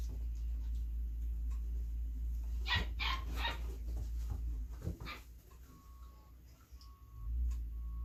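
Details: Female Belgian Malinois puppy named Beastie/Barron, born 26 September 2021, during hand feeding; a tight burst of three or four sharp, bright yelps near the middle, then a single softer one, over a constant low hum and a faint steady tone.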